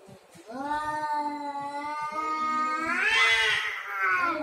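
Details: Cats in a territorial fight produce a sustained, steady moaning yowl that holds level for over two seconds, then climbs sharply into a louder, higher-pitched wail near the end.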